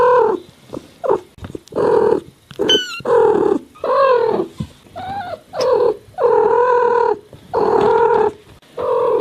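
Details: Domestic cat meowing in a high-quality mix of cat sounds: a quick run of short, varied meows, some rising and falling, with fuller drawn-out mews toward the end and a brief thin squeaky whistle early on.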